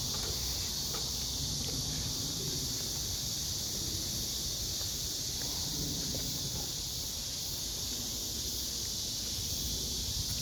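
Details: A blackish cicada drones in a steady, high, hissing buzz that runs unbroken over low wind rumble and handling noise, recorded while collecting cicadas after work at the end of July among other calling cicada species.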